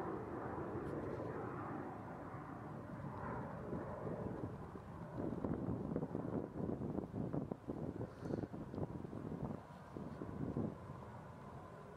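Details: Steady wind rumble on the microphone with distant vehicle-like droning and scattered crackles, no animal calls.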